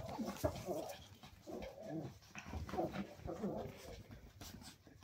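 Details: Cairn terriers during evening play, giving soft, low growly grumbles and whines in irregular bursts, fairly quiet, with faint background voices.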